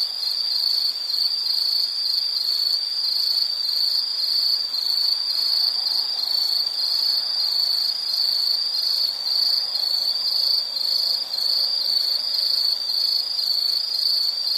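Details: Relentless shrill trilling from an insect, a single sustained high tone with rapid faint pulsation, steady and unbroken for the whole stretch, without other clear sounds.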